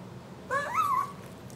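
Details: Bunk the pug, indoors in a small room, lets out one brief whine of about half a second, tonal and nasal, its pitch rising then wavering downward, over a low steady room hum.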